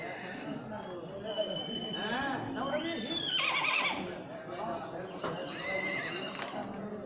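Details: A racing horse on a farm, about four feet tall and 53 inches long, gives a wavering, descending whinny midway, with people talking throughout and a shorter high call near the end.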